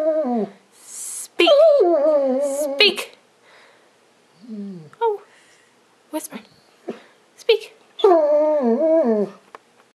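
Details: Dog singing on command for Christmas, giving several wavering, harmonic howling bursts about a second long with pauses between them, mixed with short yips and a person's voice repeatedly urging "speak".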